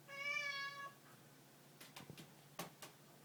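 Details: A cat gives one clear harmonic meow lasting under a second, followed by faint clicks and rustling in a quiet indoor room.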